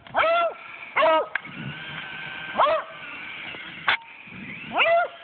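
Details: Beagle in 4 inches of snow barking at a remote control car it dislikes; five sharp barks about a second apart, with a steady engine hum and faint whimpers between.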